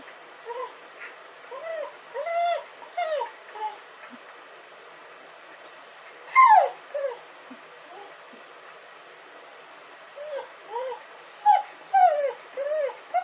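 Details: Crying dog giving scattered short, arched whines in uneven bursts, with long quiet gaps, a sharper, louder, falling whine in the middle and another cluster of whimpers near the end.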